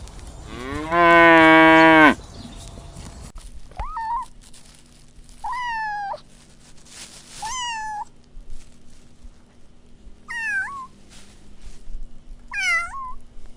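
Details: Kittens playing with pine cones outdoors on grass: a loud, low, drawn-out call in the opening seconds, then five short, high meows spaced about two seconds apart, each bending down and back up, over quiet background.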